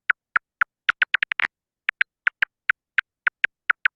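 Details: A silver-haired bat (Lasionycteris noctivagans) feeding in a valley gives echolocation calls, dry, evenly spaced clicks that briefly speed into a rapid feeding buzz as it locates prey.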